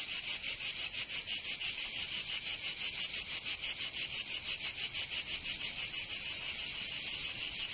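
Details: Provençal cicadas singing in summer in southern France: a piercing, high, sizzling drone pulsed in fast even throbs, about four each second, filling the whole recording.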